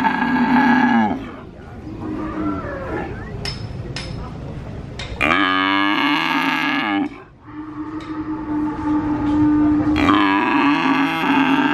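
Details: Young calf at a Purwokerto cattle market, Indonesia, mooing again and again while an adult cow calls less often: several long, steady, harmonic bellows a few seconds each, broken by brief gaps with clicks and market bustle.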